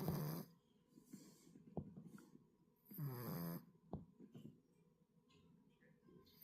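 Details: A sleeping, dog-like cat snores in low, rough, rasping breaths. Two stronger snores come about three seconds apart, with soft clicks and rustles between them.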